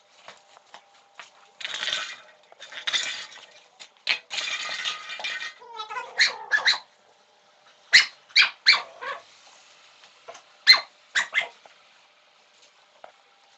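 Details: A black cocker spaniel gives short, sharp barks and yips in quick bursts, begging for a beer can.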